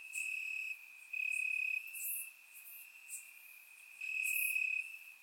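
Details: On a warm Bulgarian summer night, crickets chirp in the grass: one sustained piercing trill swelling and fading in loud bursts, joined by occasional sharp high chirps from other insects.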